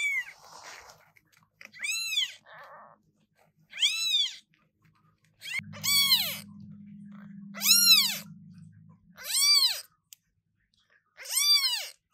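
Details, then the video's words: British Shorthair kittens, newborn, meowing very loudly: roughly seven piercing, up-and-down meows at uneven intervals, with a low steady hum underneath for a few seconds mid-recording. "New kittens meowing very loudly!!!"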